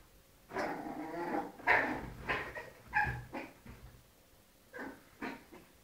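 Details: Little dogs fighting, mixing rough growling with short yipping and whimpering calls in quick, irregular succession, fading toward the end with a few brief yelps.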